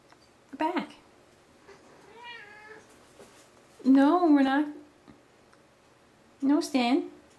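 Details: Cat out on a walk in a stroller, an outing it loves, gives three meows: a short one, a long wavering drawn-out one, then another short one, while a person talks quietly nearby.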